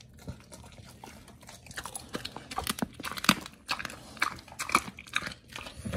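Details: Oli and Nomy, two dogs on a B.A.R.F. raw diet, gnawing raw meat; bursts of loud crunching bites roughly twice a second, building in strength, with wet smacking between.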